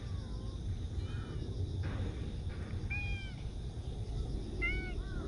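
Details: Outdoor park cats on September 28 give a few thin, short meows spaced about two seconds apart, over a constant high-pitched drone and low background rumble.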